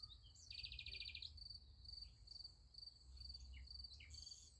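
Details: Crickets on a night beside a sunflower field: a loud, buzzy trilled burst in the first second, then high rhythmic chirps repeating about twice a second, with faint short chirps and low rumble beneath.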